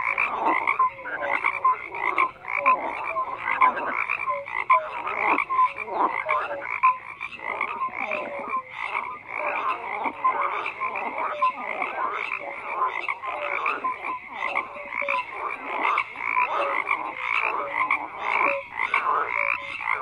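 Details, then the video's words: Continuous frog chorus of overlapping raspy croaks, pulsing in uneven bursts, with scattered brief whistle-like notes sounding through the steady din. "FROGS CROAKING"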